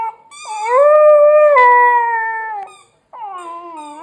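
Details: Dog whining while chewing a squeaky hedgehog toy; a long, drawn-out howling whine, steady then slowly falling, about two seconds, followed after a short pause by a second lower whine.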